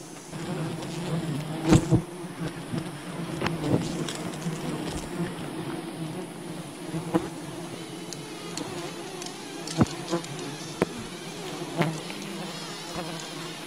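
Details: Wild bee colony disturbed during honey hunting: a steady, low droning hum with layered overtones runs throughout, broken by sharp knocks and clicks, loudest near the two-second mark.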